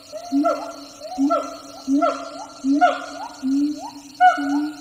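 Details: Siamang gibbons in the wild, a far-off jungle chorus from several troops: loud, human-sounding hoots repeated about every 0.7 seconds, each note swooping upward, the last few stretched longer.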